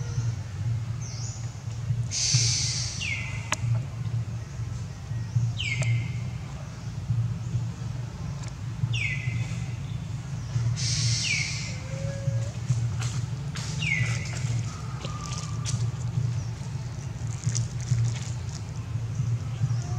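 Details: Crying calls from Amari troop mother and baby monkeys summoning their babies and leader back: about six piercing cries, each dropping quickly in pitch, repeated every three to four seconds over a low background drone.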